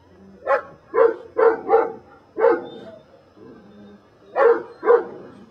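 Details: A Belgian Malinois named Brujo, from the des Champs kennel in Mexico, barks repeatedly during protection control training: eight forceful, deep barks in uneven bursts, some tightly paired, with short pauses between them.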